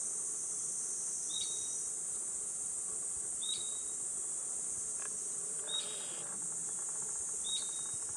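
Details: Cicadas drone without a break, high and hissing, beside a path in Gifu Prefectural Centennial Park, Japan, at 37°C on a July morning. A bird adds four brief whistled notes, about two seconds apart.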